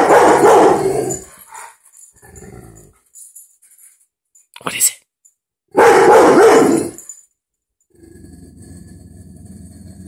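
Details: Pet dog indoors barking at a dog on TV: two loud bouts of harsh, rapid barks about five seconds apart, with brief household noises between them.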